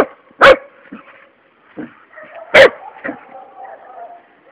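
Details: Luna, a three-month-old Labrador Retriever puppy, playing with a toad. Two loud, sharp barks about two seconds apart, with softer yips between them and a person speaking Portuguese in the background.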